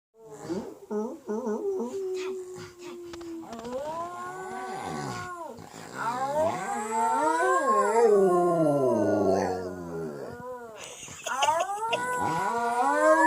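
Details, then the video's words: A pet dog howling along with its owner: short yips at first, then long wavering howls rising and falling in pitch, overlapping a human voice howling with it. "Howl of a good time!"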